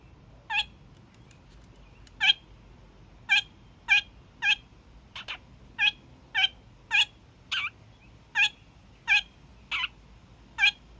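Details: A young male kakariki gives his daily evening honks: a long series of short, harsh nasal honks roughly every half second to second, some pairs closer together, in a quiet room.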